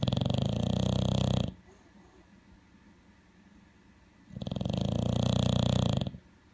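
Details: A male bulldog snoring, described as sounding like an alligator. Two loud, rasping, buzzy snores of about one and a half seconds each are separated by a quiet pause of roughly three seconds.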